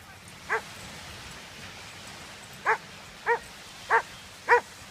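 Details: Dog playing with a border collie and a red tug toy at a dog beach; five short, sharp, harmonic yelps or barks spaced roughly half a second to two seconds apart over steady surf-like background noise.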